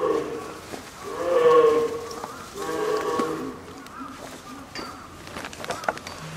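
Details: Female polar bear cub Lila, nine months old, at Maruyama Zoo in Sapporo, Hokkaido, fussing around 11 a.m. on 2 October 2015 amid typhoon wind and rain, apparently hungry; moderate, drawn-out harmonic wails over steady storm noise.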